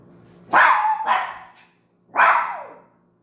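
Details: A toy poodle gives three sharp, high-pitched barks, the first two close together.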